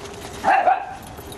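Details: Female dachshund visiting her sister gives one brief yelping bark with a slight rising start, over faint steady background hum.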